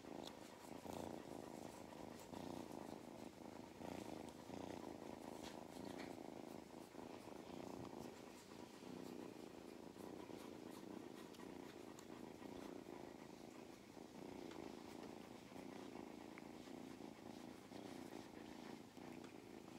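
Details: Purring cat named Mustard, who loves belly rubs and attention, on a farm in County Kilkenny, Ireland; a long, even rumbling purr with soft handling noises and a hint of voices.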